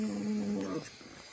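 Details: Pug growling at its own reflection in a car mirror: a steady, low, buzzy growl that holds for under a second, then fades.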